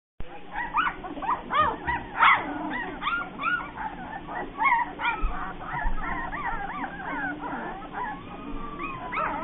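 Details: Bernese Mountain Dog puppies: many high, arched whimpers and yips overlap continuously, each rising then falling, from several pups at once, with a low background hum and murmur.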